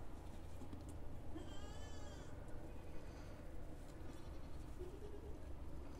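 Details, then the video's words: Local goats at a village home farm: one clear, wavering bleat with a strong harmonic stack lasting about a second, set against steady low rumbling background noise. "Video of a goat in a village home farm"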